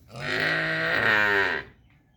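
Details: Calf lowing for its mother: a single full, harmonic moo lasting about a second and a half, steady in pitch, then fading into quiet.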